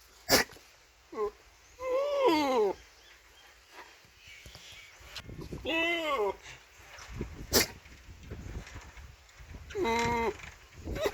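A goat gives three wavering, nasal bleats with a quavering, almost human tone, spaced several seconds apart.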